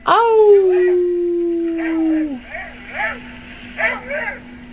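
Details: Pet dog Simba, who seldom howls, calling out after hearing two dogs stranded in a canoe on a played recording: one sustained howl, rising briefly then holding a steady, slowly falling pitch for over two seconds, followed by a woman praising him.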